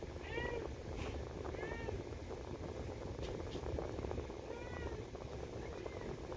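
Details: Pet cat in a harness meowing because it wants to go for a walk: four short arching meows at about one to two second gaps, over a steady fan hum with faint human voices.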